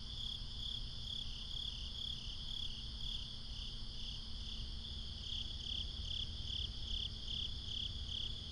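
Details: Several crickets calling at night, binaural recording: a continuous high insect buzz with brighter pulsed chirps that fade midway and return strongly, with a steady low hum below.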